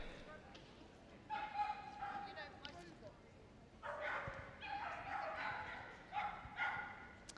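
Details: A 3-year-old female Border Collie on the start line of a small-dog agility jumping final at Crufts 2026 barks in high, sharp, repeated bursts, eager to go, over a commentator's voice.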